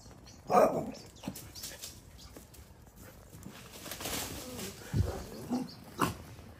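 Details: Pet dogs playing in a garden, a daily romp: short throaty bursts and growly yelps come in scattered pulses, one loud at the start and others near the end, over a low rumbling background.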